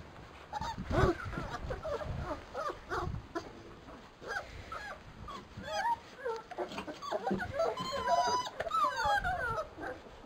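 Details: Labrador Retriever puppies from a B litter dashing about through frost, giving a busy overlapping stream of high whimpers, yips and squeaky rising whines from several pups at once, with scuffling in the background.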